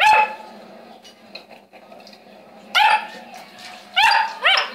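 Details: Saint Bernard dog barking. A loud bark opens, then a quiet pause with small knocks, then three more barks follow close together.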